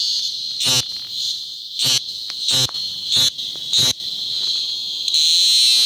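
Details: A cicada in the Macuiltépetl Ecological Park, Veracruz, Mexico, during a mass emergence after rains softened the soil, holds a steady, high, shrill buzz, broken now and then by short harsh bursts.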